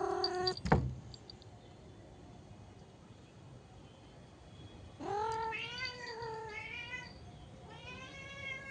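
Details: A pet cat watching outdoors meows twice after a sharp knock at the start: a long wavering meow near the middle, then a shorter rising one near the end, with quiet room noise between.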